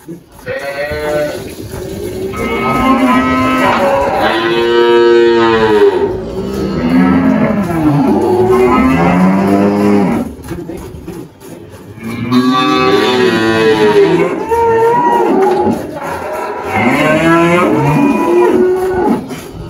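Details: Girolando cattle on a farm in Anápolis, Goiás, Brazil, 1 March 2023: a run of deep, drawn-out harmonic moos, several bellows rising and falling one after another with short pauses, possibly more than one animal, faint background music.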